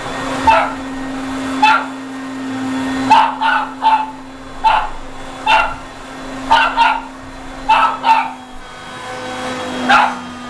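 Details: Indoor dog barking at a vacuum cleaner, about fourteen short, punchy barks, often doubled, spaced roughly every half to one second, with the appliance's constant drone underneath.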